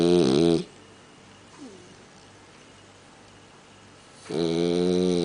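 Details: A male French Bulldog sleeping in his owner's bed snores loudly, with harsh rattling breaths separated by a quiet pause.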